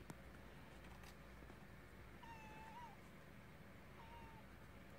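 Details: Kitten heard indoors giving two thin, high meows, the first wavering and longer, the second short and falling, over a steady low background hum.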